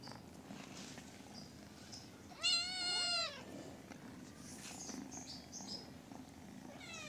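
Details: A little cat gives one loud, bright meow that rises and then falls, lasting under a second. A second meow begins at the very end over a constant low background hum.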